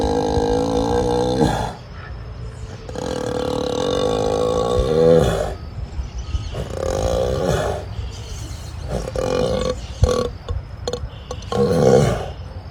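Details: An ox in heavy sleep in Brazil, snoring loudly: long, deep, rasping roars with rough groaning tones, several drawn-out bouts of a few seconds each with brief pauses, a person speaking just afterward.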